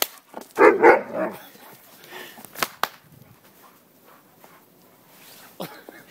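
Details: Alaskan Malamute named Zeus, about a year old, outdoors in its first snowfall of the year, gives one loud, rough, drawn-out woof near the start, followed by quieter snuffling noises and a few sharp clicks.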